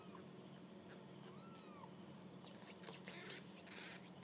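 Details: A single thin, arched kitten mew sounds during the kittens' first walk about, followed by light scuffling and rustling noises.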